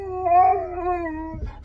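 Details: Husky dog indoors giving a drawn-out, wavering howl that slides slowly downward over more than a second before breaking off, with a quiet room hum beneath.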